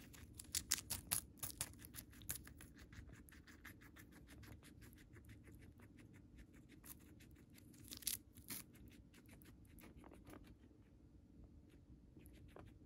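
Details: Moru-chan the pet guinea pig munching Chinese cabbage at home: a dense run of fine, crackly bites, louder crunches near the start and around eight seconds, fading to softer nibbling in a quiet room.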